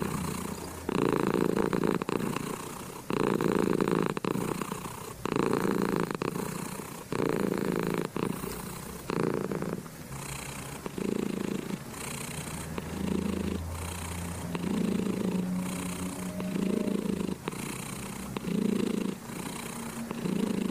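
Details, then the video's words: Cat purring under a petting hand, loud close rumbling bursts of about a second each separated by short breathing gaps, steady and rhythmic throughout with faint brushing sounds. "Cat Petting and Purring"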